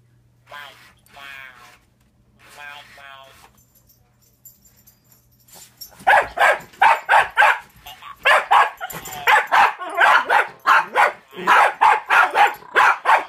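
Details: Toby, a one-year-old Jack Russell Terrier, barks at a talking Furby toy. Roughly six seconds of the toy's electronic voice come first, then a dense run of sharp, rapid barks fills the rest of the recording.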